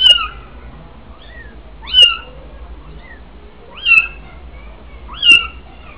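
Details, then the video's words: Weaning kittens outside a doorway in the mellah of Fes, Morocco, crying while their mother keeps her distance; shrill rising-then-falling mews about every two seconds, with softer mews between. "Kitten Weaning Time"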